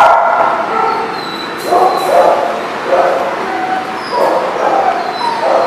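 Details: Dogs barking on December 22, 2018: a dense, overlapping chorus of mid-pitched barks and yips from several animals, softer and blurred together, with no single bark standing out.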